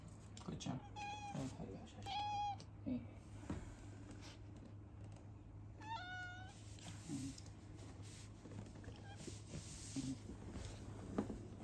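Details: Rescued female house cat with a congenital heart defect, long fearful of humans; a few short mews in the first seconds, another drawn-out meow near six seconds, then quiet rustles and a steady low indoor hum.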